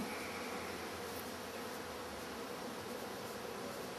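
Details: Honey bees of a wild colony newly moved into a hive with a viewing window, foragers bringing in pollen; a steady, dense droning hum fills the whole stretch, unbroken, with no other clear sounds.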